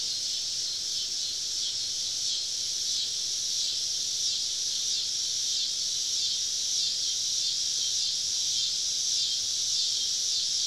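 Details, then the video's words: Summer cicada chorus on a southern evening, recorded while camping deep in the woods with cicadas all around: a dense, steady buzzing hiss, pulsing gently in loudness, with no break throughout. "Southern Evening Summer Cicada Symphony"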